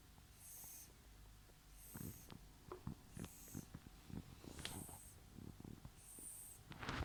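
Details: Miffy, a female Mini Lop rabbit, asleep and making quiet breathing noises: soft airy hisses recur about every 1.3 seconds, mixed with scattered snuffling clicks and short snorts against a low steady background hum.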